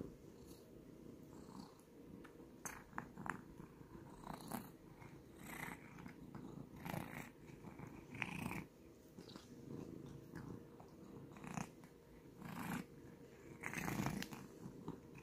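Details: Domestic cat purring close up, a continuous low rumble broken into breath cycles, with brief higher snuffles and rustling bursts scattered throughout.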